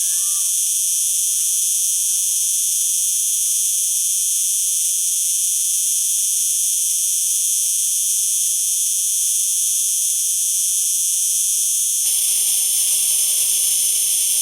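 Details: Long, steady high cicada buzz in stacked bands, a few faint whistles at the opening, the texture shifting slightly after twelve seconds.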